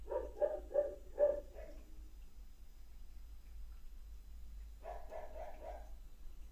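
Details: Neighbour's dog barking outside the house in Trindade, played back from a recording; a quick run of four or five barks, a pause of about three seconds, then a fainter burst of four more, with low background hum.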